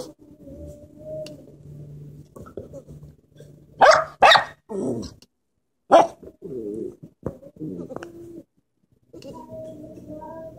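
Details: Corgi pup unhappy about goats trying to get inside: low rumbling growls broken by a few loud barks, then warbling grumbles and a drawn-out whine, with quiet gaps in between.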